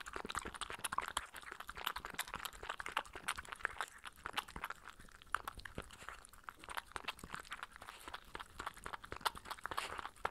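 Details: Spencer, a Sheltie puppy of 15 weeks, noisily slurps and munches while drinking goat's milk. Dense, irregular crunchy smacks and licks run throughout, recorded up close indoors with no other sounds.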